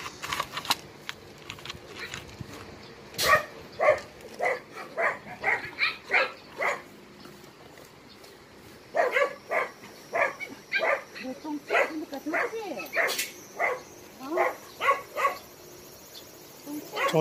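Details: Abandoned dogs at Hanna's shelter, a rescue shelter for stray dogs in Daegu, South Korea, barking in two long runs of short, sharp, evenly spaced barks, a pause between them, with faint whining sweeps and a steady background hum.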